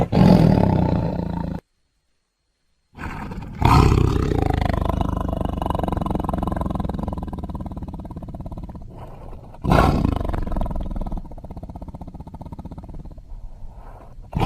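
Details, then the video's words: Tiger roaring in long, rough, pulsing bouts that throb about four times a second, with a short silent gap early on and a louder burst of roaring renewing partway through. "Tiger Sounds"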